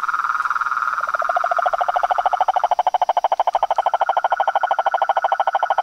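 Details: Frog and toad chorus: a loud, regular train of lower, throaty pulses rises out of a higher buzzing trill and dominates, repeating evenly about three times a second, with a faint high tone behind.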